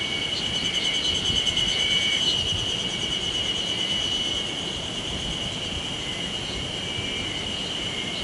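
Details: Cicadas (セミ) calling at Sawauchi, Nishiwaga, Iwate, Japan, on 26 May 2019, surprisingly early in the season, in a rural landscape: a continuous high, shimmering buzz that holds steady with a faint rapid pulsing throughout.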